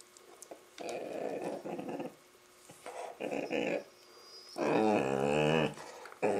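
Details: Labrador Retriever making funny noises while playing with a Rottweiler puppy: rough, throaty growling bursts of about a second each, separated by short pauses, ending in a louder, drawn-out, moaning growl with a whining edge.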